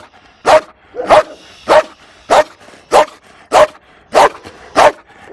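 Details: Fearful female Malinois at an animal shelter in Toulouse, April 2014, barking: eight loud, even barks at a steady rhythm of about one every 0.6 seconds, with quiet between them.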